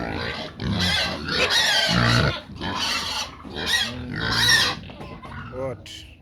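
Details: Pigs clamouring for feed: loud rasping squeals in repeated bursts, mixed with lower grunting and what sounds like a voice, ending in a thinner, fading squeal.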